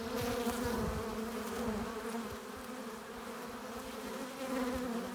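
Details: Honey bees at a hive entrance, arriving with pollen and nectar: a dense, steady droning buzz with a low, even hum that swells and eases slightly, many wingbeats overlapping continuously, no other sounds.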